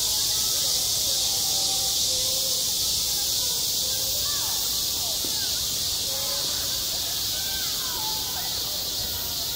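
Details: Cicadas singing in high summer at a school playground, a dense, unbroken high-pitched buzzing chorus that holds steady throughout, with faint distant voices drifting underneath.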